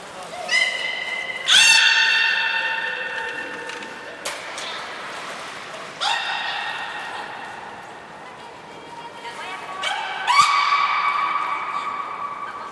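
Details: Belugas Hodoi, Gray and Mirai during a training session at the Port of Nagoya Public Aquarium, 1 December 2019: three long, steady, harmonic-rich tonal calls start sharply about four seconds apart and slowly fade, over a faint hall murmur.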